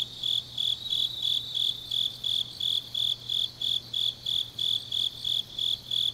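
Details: Autumn grass insects singing on a deep night in Changnyeong, South Gyeongsang, Korea: a high, steady cricket-like trill pulsing in regular bursts about three times a second, with a faint low hum underneath.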